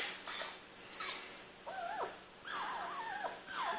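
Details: Pet male fennec fox, excited and not hurt, giving three wavering, whiny tonal calls that bend up and down in pitch, separated by short pauses, with faint breathy noise between them.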